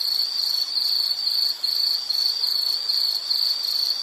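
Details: High, buzzy insect trill in short bursts of roughly half a second, about 143 pulses a minute, separated by brief dips, from a nature-sounds relaxation recording.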